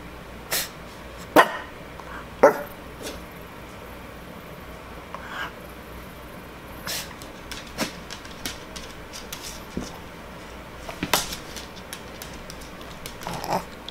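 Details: Sadie Rose, a five-year-old female Shih Tzu, performs tricks to get a treat. She gives two short, sharp yips about a second apart, then faint scattered clicks and small rustling sounds.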